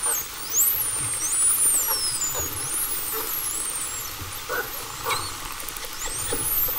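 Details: Bottlenose dolphins give high, looping, frequency-modulated whistles (about 5–20 kHz) that sweep up and down and overlap one another.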